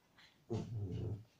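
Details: Female dog that dislikes sharing, wanting a toy another dog has: a short low growl lasting under a second, after a brief breathy sound.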